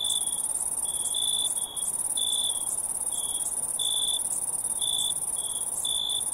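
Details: Insect chorus of crickets: a high, even ringing drone with irregular lower chirps, short and buzzy, about one each second and sometimes paired, with nothing else heard.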